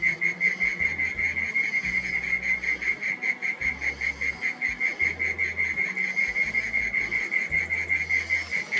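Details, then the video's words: Twilight garden chorus of mole cricket song, heard but unseen underground: a strong, unbroken, shrill trill on a single high note, evenly pulsing, with faint higher hiss behind it. "Mole Cricket Song"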